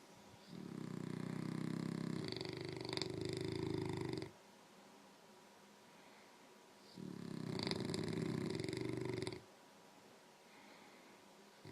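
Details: English Mastiff and French Bulldog trading snores in a back-and-forth contest; two long, deep rasping snores of about four and three seconds, separated by a quiet pause.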